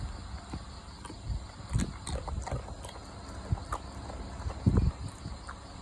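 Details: Dog eating: dull, irregular crunching and chomping thuds, low and close, a few louder bites near the end, with steady faint background hiss.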